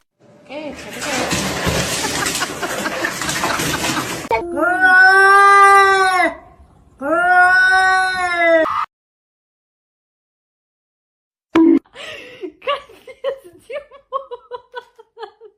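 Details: Domestic cat, filmed acting silly: a harsh rustling scuffle, then two long drawn-out wailing meows, each about two seconds and bending up then down, then silence and a quick run of short, falling meows.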